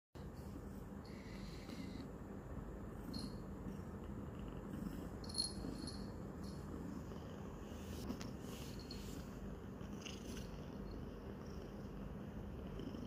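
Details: Roxa, a new domestic kitty three days into her home, purrs loudly while licking and biting her owner's hand; a steady low rumbling purr runs throughout, with faint clicking and licking sounds above it.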